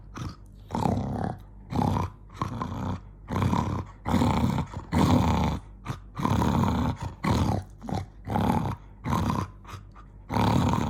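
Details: Jonggi, a pet dog, gets angry and growls in a steady run of rough, low rumbling bursts, each lasting about half a second to a second, separated by short breaths throughout.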